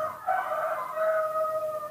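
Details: Newborn baby monkey in human care asking for milk: one long, drawn-out tonal wail held steady for nearly two seconds, slightly falling, with a faint hiss in the background.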